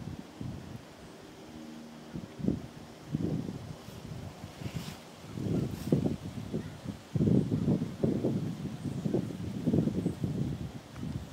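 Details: At Steigerwald Lake National Wildlife Refuge, Washington, USA, on 10 October 2010, an American bullfrog gives deep, droning croaks in uneven bursts against a windy background.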